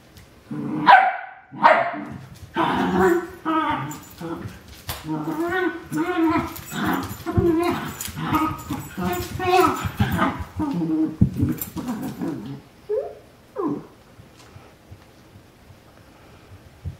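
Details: English cream dachshund puppies playing indoors: rapid bursts of high yips and short barks, dense and overlapping for about twelve seconds, then a few isolated squeaks, with human voices mixed in.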